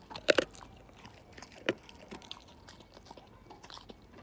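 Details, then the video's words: Siberian Husky named Slim gnawing a bone indoors, teeth against bone; a loud crunching burst at the start, another sharp crunch near the middle, then softer scattered clicks and gnawing. "ASMR My Husky Tear This Bone Down To Nothing!"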